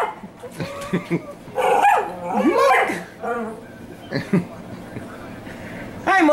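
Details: Neechee, a jealous dog who cannot stand anyone giving attention to another dog, lets out whining, rising and falling yelps mid-clip and a sharp yip at the end, over background music and soft human voices.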